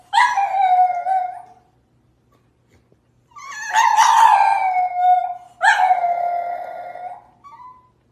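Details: French Bulldog kept as a pet howling in three long, sustained, wavering tones, each lasting over a second, with a brief short whine trailing the last, in quiet surroundings.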